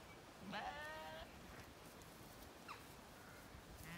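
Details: Zwartbles sheep, lambs and hoggets on a regenerative farm in County Kilkenny, Ireland, on an evening walk among them as swallows feed over the field: one harmonic, wavering bleat of under a second, then quiet field ambience with faint chirps.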